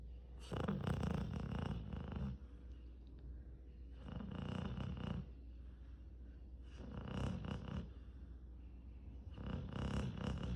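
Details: Sleeping American Cocker Spaniel snoring indoors: four long, rough, rasping breaths about two seconds each, separated by quieter pauses of roughly a second, steady and rhythmic.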